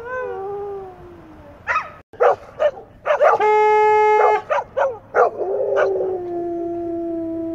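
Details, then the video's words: Several English Setters howling together: wavering, falling howls open the clip, then broken by sharp yips and barks, a long steady tone in the middle, and a sustained low howl trailing off at the end. "English Setters sing the Song of Their People"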